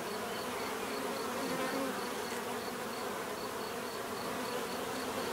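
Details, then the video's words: Dense bee buzzing, a constant layered hum of numerous insects with one passing louder drone and a faint regularly repeating high tick. "bees therapy relaxing natural buzzing sound"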